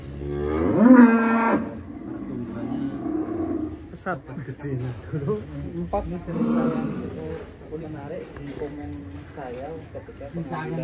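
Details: Ken Arok Bimasakti, a giant fattened cow from Indonesia being readied for a contest in DKI, gives one loud, harmonic, rising moo lasting about a second, followed by people talking and clattering sounds.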